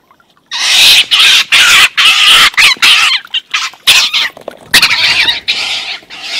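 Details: Two wild stone martens fighting, an older, bigger marten beating up a youngster: harsh, loud screeching chatter in rapid irregular bursts, about four a second, with brief gaps between volleys.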